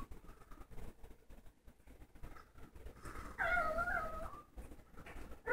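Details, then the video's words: A pet dog lets out a brief wavering, whining cry lasting about a second midway through, then starts a second short whine right at the end, with low indoor rumble and handling noise underneath. "Funny dog sounds"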